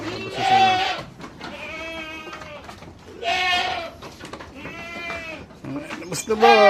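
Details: Pregnant goats on a backyard farm in the Philippines, let out of their pen now that the sun is hot; several harmonic, wavering bleats, each about a second long, with a man talking between calls.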